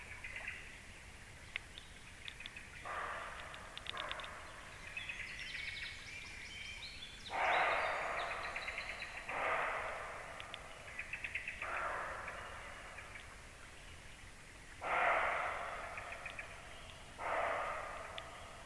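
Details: Deer barking near a black stork nest at 19:31; a series of harsh, broadband barks comes every two to three seconds, with faint high bird chirping in the background.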